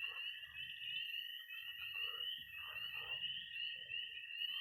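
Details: Missouri pond at night in early spring: a high trilling and peeping wall of tree frogs and toads, punctuated by short low croaks and mid-pitched calls every second or so.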